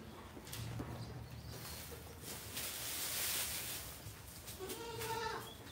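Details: Goat brought from Modnimb market: a short harmonic bleat near the end, wavering and nasal, rising out of steady crowd and market noise with broadband clatter and murmur throughout.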